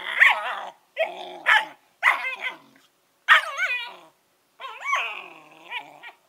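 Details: Eleven-week-old Collie puppies Norris and Amica talk with wavering, whiny yelps and rasping growl-barks, five or six drawn-out bursts with bending pitch, the last a long howling whine.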